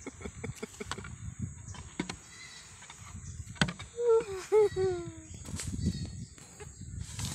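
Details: A mischievous, playful goat gives two wavering, falling bleats in quick succession midway through, over rustling, scattered clicks and outdoor background noise.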